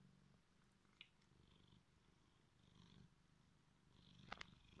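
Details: Drowsy tomcat just roused from sleep, purring softly in a continuous low, pulsing rumble, with a faint click early on and a couple of small knocks toward the end.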